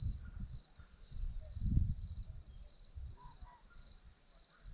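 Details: Crickets on a hillside at Zorlesti, Romania, give a steady high pulsed chirping that runs throughout, partly masked by low rumbling wind or handling noise that swells around the middle.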